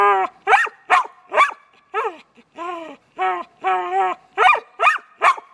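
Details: Pet dog barking at its owner who is holding the ball, a steady series of loud, harmonic, slightly whiny barks, some drawn out into short howl-like yelps, about two per second.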